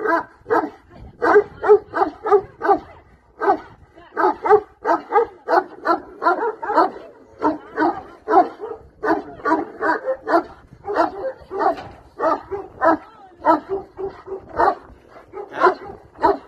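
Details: Bucovina Shepherd dog barking persistently for over fifteen seconds, a dense string of harsh barks with only brief breaths between runs.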